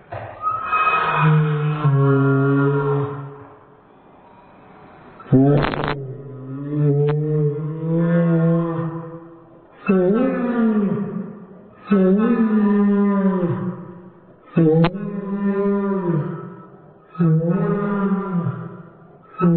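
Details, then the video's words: Pet Dobermann's whine slowed to sound like a humpback whale: long, mournful, harmonic moans of about two seconds each, repeated roughly every two to three seconds, some bending upward and down again. "Doberman makes whale sounds!"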